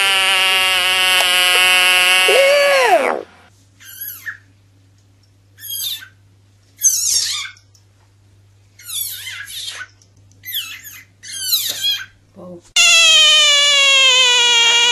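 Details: Screaming frog gives a long, steady, high harmonic shriek that sags at its end. Short broken squeals follow, separated by silence, then another sustained shriek starts abruptly.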